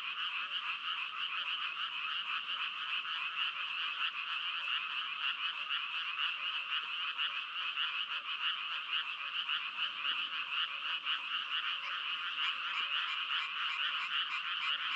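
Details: Dense frog croaking fills the whole stretch: rapid, buzzy pulses of several per second run together in a constant chorus, steady in loudness, with no other clear sounds present.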